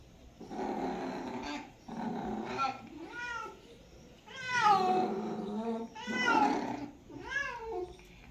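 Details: Domestic cats during mating season giving drawn-out, wavering yowls in several bursts, each rising then sliding down, the loudest around the middle and end, with short quiet gaps between cries.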